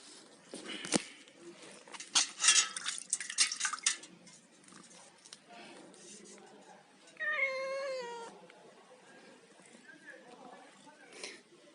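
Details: Cat eating fish gives one drawn-out meow, about a second long and sliding downward, after a run of sharp clattering and tapping sounds; faint rustling continues in the background.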